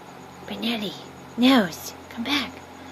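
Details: Whippets at play in the dark give three short rising-and-falling whining moans, the middle one loudest, over a low steady hum.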